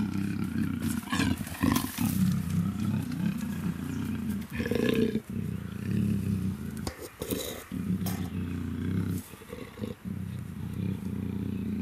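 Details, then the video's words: Deep, sustained rumbling growls from Luna, a captive female black African leopard in her first heat at the Cheetah Experience breeding center, with short breaks and occasional higher rasping bursts; light talking in the background. "African Black Leopard In Heat - Cat Growls Snarls"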